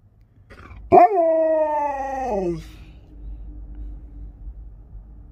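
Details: Sherpa the Alaskan Malamute lets out a sudden yelp that smooths into a held, tuneful howl for about a second and a half. The howl slides gently downward before fading, with low indoor rumble afterward.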